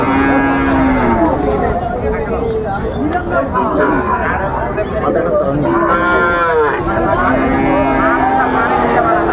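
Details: Sahiwal calf at a livestock market: loud, drawn-out harmonic moos, several rising then falling, repeated four times over about nine seconds against steady market crowd noise.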